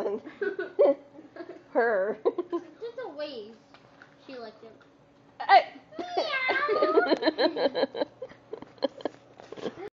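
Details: Labradoodle Farrah, indoors, trained to make a cute meow-like sound instead of her big bark to earn treats. High, whiny, rising-and-falling cries with bent harmonics come in short bursts, mixed with people talking, laughing and meowing to prompt her.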